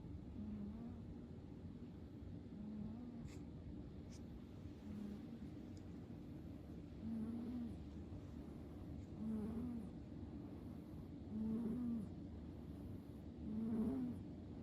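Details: Sleeping cat Fu-tan gives faint, low, rasping snores at roughly two-second intervals, the later ones slightly louder and wavering in pitch, with a faint steady background hum.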